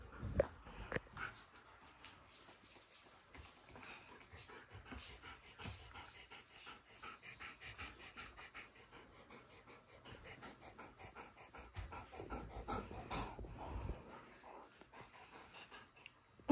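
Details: Pet dogs indoors after play, called big boys by their owner; soft, quick panting breaths run steadily, quiet and rhythmic, with a few faint knocks and rustles in the room.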